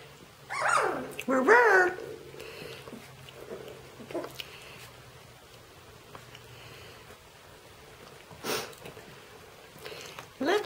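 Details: Shetland Sheepdog puppies: two loud, high, wavering whines rise and fall within the first two seconds, followed by a long quiet stretch with soft rustling, a brief click and a short final yelp, while a person talks to them.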